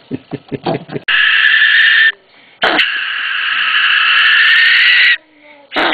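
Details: Captive common brushtail possum kept outdoors in a temperate mountain climate, screaming when disturbed. Harsh, raspy noise bursts: a one-second blast, then a longer scream of about two and a half seconds. Short voiced sounds come first.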